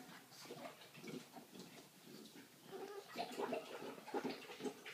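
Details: Three-week-old puppies at feeding time, indoors, as their mother leaves; a litter of overlapping small squeaks and grunting whines, loosely repeated and building louder toward the end.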